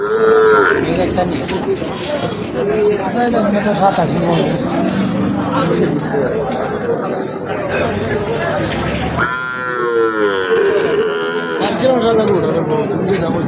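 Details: Cattle for sale at a Habiganj market in Bangladesh, native desi cows and calves. A moo opens the stretch and a second, stronger lowing call comes about ten seconds in, separated by continuous bargaining talk and chatter.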